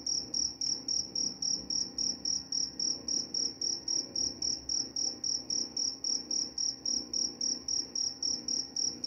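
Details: Continuous high cricket chirping, short pulses repeated steadily nearly four times a second, with a dull background hum; meant to help with sleep and to repel mice.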